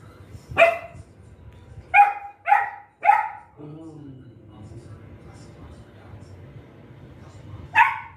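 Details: Golden retriever puppy in Guntakal barking angrily at dogs outside, wanting the gate opened; five sharp barks, four in a quick cluster around the second to third seconds, with a low whine after, and a woman's voice nearby.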